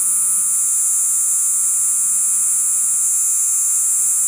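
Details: Crickets calling at night, an insect said to live mostly in fields and forests and to call to attract females; a steady, unbroken high shrill hiss with no pauses, over a faint low electrical hum.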